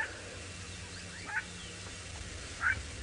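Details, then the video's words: On a sunrise safari drive in the Mara, 23 October 2017, a jackal tailing lions, perhaps upset at being left only scraps, gives two brief, high yelps about a second apart over a low engine rumble. "You can hear the jackal too, making that sort of yelping noise."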